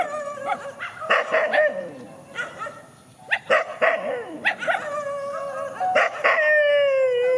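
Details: Countryside dogs facing each other in a field: bursts of sharp, harmonic barks and yelps, followed by a long, steady, drawn-out howl that holds its pitch over the final seconds.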